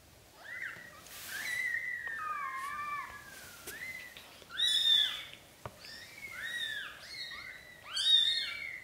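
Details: Black golden British Shorthair kittens, newborn, being carried by their mother into a small nest. Dense overlapping squeaky cries slide up and down without pause, several voices at once, with a sharp tap in the middle.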